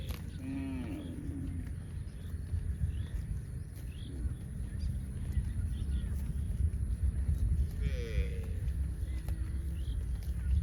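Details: Baby cow giving a short wavering harmonic call near the start, then quieter faint calls later over steady low rumbling background noise.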